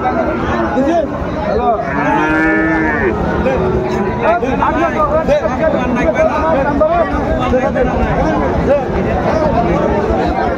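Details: Friesian and cross-bred bull calves for sale at Raniganj cattle market, Dinajpur, Bangladesh, 10 February 2025: a low, drawn-out moo with layered harmonics about two seconds in, over constant crowd chatter and bargaining voices.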